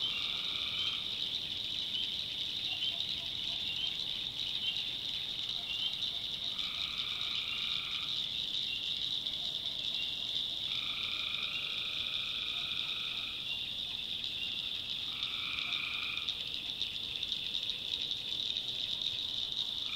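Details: Night swamp in the North Carolina backwoods with tree frogs: four long, level, two-layered trills, each one to two and a half seconds, spaced several seconds apart, beneath an unbroken shrill high chorus.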